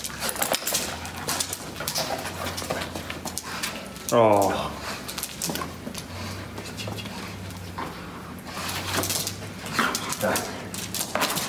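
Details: A female German Shepherd, happy and excited at reunion with her owners, gives a brief high whine that slides downward partway through, surrounded by people talking and exclaiming, with scattered clicks and shuffling.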